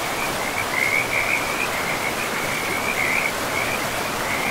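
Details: Rapid chattering croaks from frogs along a river in untouched forest, pulses running together into a near-continuous trill beneath a strong, unbroken wash of river noise.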